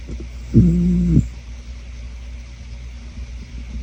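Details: Older female Shetland sheepdog on a farm, asleep and suffering from seasonal allergies, gives one drawn-out buzzy, droning snore lasting over half a second, followed by soft low breathing.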